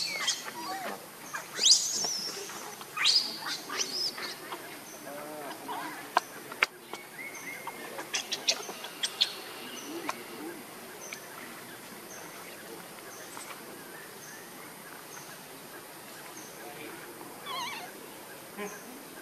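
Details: Baby monkey crying after a fall: shrill, squealing cries in uneven bursts during the first few seconds, then thinner high squeaks fading into a steady background hiss and faint insect-like buzzing.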